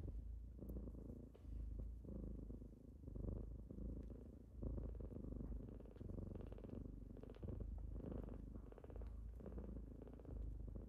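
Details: Morning purring from kittens waking someone up: continuous low rumble pulsing in slow waves, roughly forty cycles a minute, with faint rustling movement.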